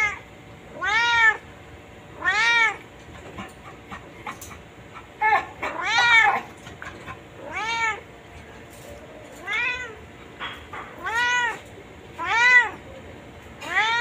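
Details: Playful white cat on a chain meowing repeatedly, about a dozen arched, tonal cries spaced one to two seconds apart, some overlapping in quick doubles midway.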